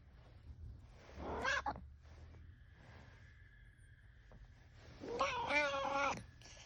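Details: Sleeping cat snoring: two raspy, buzzy breaths about four seconds apart, the second longer and fuller, with a faint steady hum between them.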